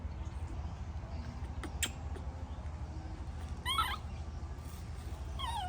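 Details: A baby monkey protests its departing mother with short, bending, squealing cries late in the clip, one near four seconds and another just before the end, set against a steady low-pitched rumble and a few clicks.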